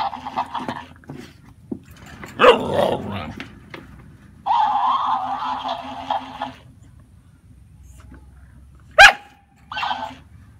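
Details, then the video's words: Excited Siberian Husky reacting to a plush mimicking hamster toy indoors: short yelping, talking-like vocal bursts, loudest near the start and again briefly later, with the toy replaying sounds back as buzzy, flat-toned blocks in between. "Olaf the husky goes bonkers over the plush mimicking hamster toy"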